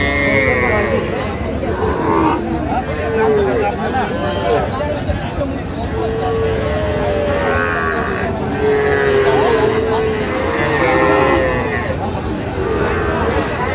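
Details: Sahiwal bull calves for sale at Raniganj cattle market in Dinajpur, Bangladesh, with a farmer from Gazipur buying, 8/5/25. Several drawn-out, low moos recur among the penned cattle amid steady crowd chatter and bargaining voices.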